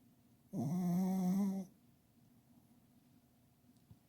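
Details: Sleeping pet dog under a kotatsu giving a big snore: one loud, rasping, steady-pitched buzz lasting about a second, rich in overtones, followed by quiet breathing in a small room.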